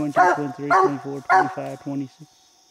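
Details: Bandit, a coonhound with a raccoon treed in a small tree during a coon hunt, gives a short run of rapid stacked, rough barks, each doubled, before falling silent.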